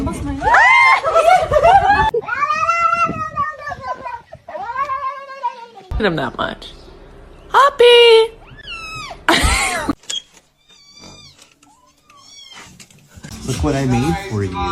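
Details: Cats from a funny-cat compilation giving a run of loud, arching meows, some long and wailing, others short and chirpy, broken by pauses, rustling and bits of human talk near the end.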